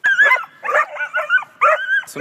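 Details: Dog giving a bark that expresses discomfort: four high-pitched, whiny yelping bursts with a beep-like tonal quality, each rising and falling in pitch, separated by short pauses, with no other clear sounds.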